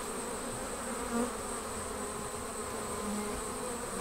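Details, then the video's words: Honey bee colony around the hive at swarming time, a softer, hazier buzz of wings under a thin, high, steady whine, with a brief louder swell near the middle. "Bee Swarm Leaving the Hive"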